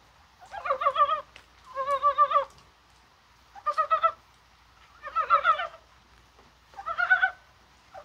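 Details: Korean brown frog calling in the rain on a spring-like January 21: five separate bursts of clucking, pulsed croaks, each under a second long and spaced about a second and a half apart, against a quiet background.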